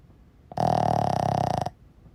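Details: Single snore from a sleeping Boston Terrier: a fast, fluttering, rattling rasp lasting just over a second, rising abruptly from quiet breathing and dropping back to it.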